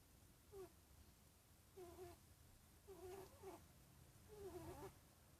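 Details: Panda, a cat making weird sounds: four short, faint, warbling mews with a wavering middle pitch, spaced about a second apart, over low room rumble.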